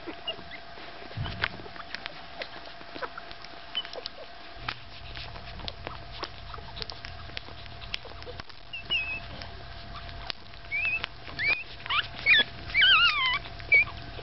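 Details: Staffordshire Bull Terrier puppies at five days old: after quiet shuffling and low hum, a burst of shrill, wavering squeaks and whines comes near the end, several overlapping in quick succession.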